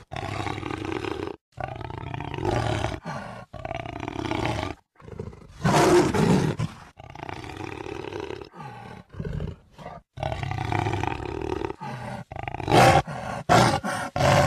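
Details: Jaguar roaring: a long run of deep, rough, hoarse bursts, each about a second long, separated by short silent gaps, with a few sharper clipped bursts near the end.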